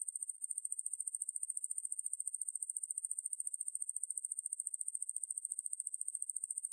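A coneheaded katydid gives a continuous, high, hissing buzz made of very fast, even pulses.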